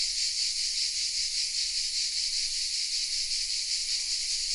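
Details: Southern French cicada chorus from oaks in Vézénobres, filmed on a Sony RX10 M3: a continuous sizzling high buzz with gentle rhythmic swells, nothing else audible.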